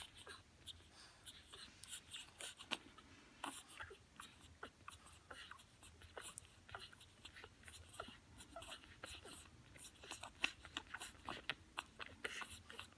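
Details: French bulldog puppies born 6 March 2020 suckle noisily from their mother, a steady stream of soft wet clicks and smacks as they nurse.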